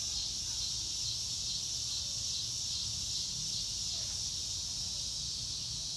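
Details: Cricket chorus outdoors on a clear blue-sky day, a continuous shrill high band of rapid pulsing chirps with low rumbling background noise beneath.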